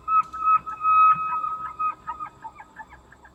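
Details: Elk in Elk County, Pennsylvania, giving a sustained whistled tone that breaks into a series of quick, uneven pulses, each fainter than the last, over a quiet background.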